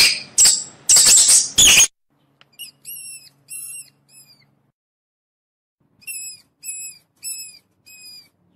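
A mouse gives thin, high squeaks in short, quick bursts after some scratchy rustling.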